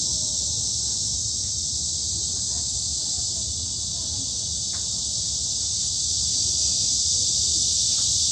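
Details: Cicadas in a midsummer forest at Hanbat Arboretum in Daejeon, South Korea: a dense, steady high-pitched hiss-like drone, unbroken throughout and slightly swelling toward the end, with faint low rumble beneath.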